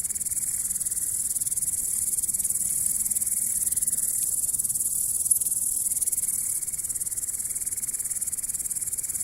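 A grasshopper keeps up a steady, shrill, high-pitched buzz made of rapid, even pulses.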